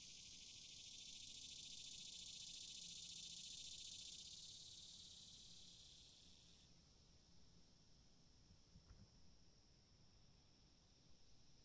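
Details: Cicada chirping as a loud continuous high-pitched hiss that cuts off abruptly partway through, leaving a fainter thin whine and quiet background hum with a brief tap.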